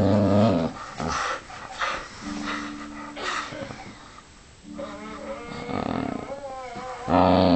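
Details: Playing tug with a jumper sleeve indoors, Vixie the dog opens and closes with strong rumbling growls; between them come softer throaty murmurs, fabric rustle and a human voice.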